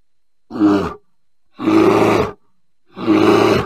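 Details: Bear roaring three times, each burst rough and growly and roughly half a second to one second long, separated by silent gaps of over half a second.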